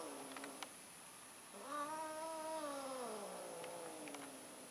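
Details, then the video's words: Domestic cat during mating, an orange cat trying once more: a short low moan, then a long rising-and-falling caterwaul that tapers into a softer descending wail, with a few faint clicks. "Kucing Kawin, Kucing Orange Nyoba Kawen Lagi Nih"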